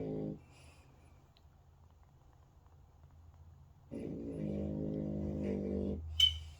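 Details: Hunter, a French Bulldog, asleep and snoring indoors: a brief harsh buzzy snore at the start, a quiet low breath, then a longer rasping, vibrating snore about four seconds later, ending with a sharp click.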